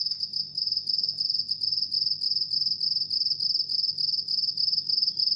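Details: Continuous shrill chirping of a house cricket: rapid, even trills of high pulses running without break, roughly 200 a minute, over a quiet low background rumble.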